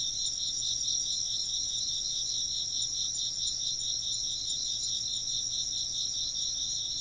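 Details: Steady insect chorus: many high, thin chirps blend into fast pulsing trills in several pitch layers, unbroken from start to finish, with a quiet low-frequency hum below.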